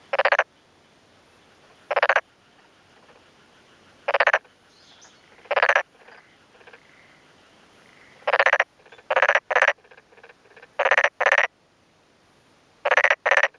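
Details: Black-spotted pond frog males calling in daytime on 2 May 2011 from a flooded, freshly puddled rice field in rural Yamaguchi, Japan, one answering another nearby male; short broadband pulsed croaks in bursts of two to four, sometimes single, separated by pauses.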